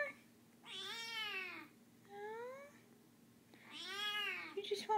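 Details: Recovering kitten, no longer sick, crying to be picked up: three meows, two long and loud with a shorter, softer one between them, while a person talks gently.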